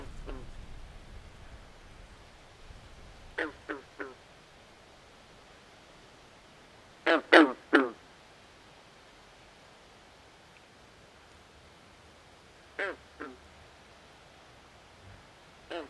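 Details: Frogs calling at night by a swamp: short, harsh, downward-sliding croaks in clusters of two or three, with long quiet gaps between the bursts over a faint, steady background hiss.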